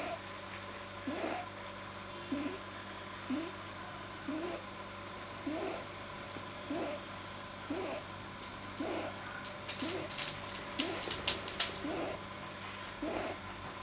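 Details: Deeply relaxed pet rabbit, said to have a too-long soft palate, recorded 9 January 2010: soft rhythmic snuffling grunts, about one per second, steady throughout, with faint high clicking and rustling partway through over a constant background hum.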